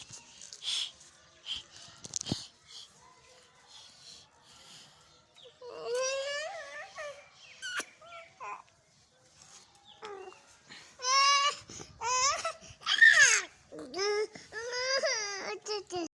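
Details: Dog howling in two bouts of long, wavering, harmonic wails that rise and fall, the first short and the second longer and more drawn out, separated by quiet clicks and faint voice-like sounds.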